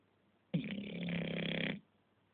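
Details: Sleeping English Bulldog giving a single harsh, rattling snore lasting just over a second, broad and grating with a throbbing low tone, quiet room behind.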